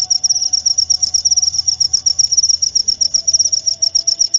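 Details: Cricket chirping steadily, a high-pitched shrill trill broken into rapid pulses about ten per second, continuous throughout with a faint low tone underneath.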